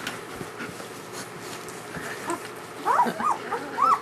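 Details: Newborn German Shepherd puppies from Ulra's first litter, calling in a cluster of short rising-and-falling whimpers near the end, over a low background hum.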